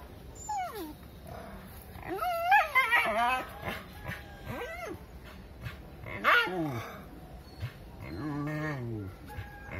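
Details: A dog confronting a monkey in its area gives sharp, falling yelps and strained, wavering cries, two louder bursts near three and six seconds, and a sliding whine near the end, with some background voices.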